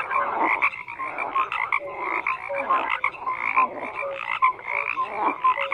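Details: Numerous frogs croaking together, bursts of rattling pulses surging and easing in waves, interspersed with short pure tonal notes.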